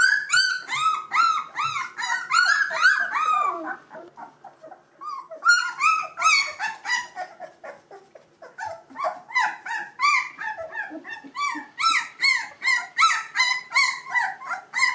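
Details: A litter of two-week-old Gordon Setter puppies, eyes and ears just opened, squealing in a busy chorus; arched, high whines tumble over one another nearly three times a second, with a brief lull in the middle.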